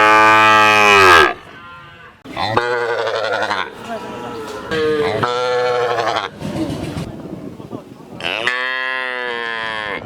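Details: Cows at a village market moo in long, loud, harmonic calls, one after another, with brief gaps between.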